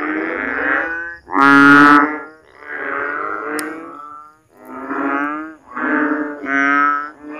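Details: Rainy-season frogs in a Philippine backyard, loud at night after heavy downpours, when water stagnates in ditches and swales; drawn-out, bleating croaks follow one another almost without pause, one especially loud call near the start.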